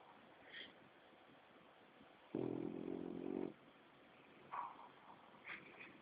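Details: Asleep on a lap, Greg, a seven-month-old French Bulldog, gives one long, grating snore of just over a second. Soft higher squeaks and rustles come before and after it against a steady indoor hiss.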